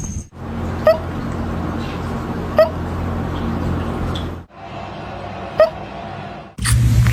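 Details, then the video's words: Cat with hiccups, giving three short, sharp hic sounds at irregular gaps of about two and three seconds, over a steady low indoor hum; a person speaks briefly afterwards. "lovely cat HICCUPS"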